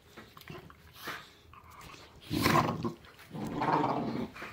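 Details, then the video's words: Pit bull puppies play-wrestling indoors, one still with baby teeth, growling and snarling at an older rescue pit bull; rough guttural growls in bursts, two long loud snarling stretches in the second half. "Pit Bull Puppies wrestling: Epic Growling & Snarling"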